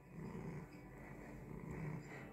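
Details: Minou, a pet cat seeking cuddles and scratches, purrs low and steadily in a continuous rumbling drone, with faint room noise in the background.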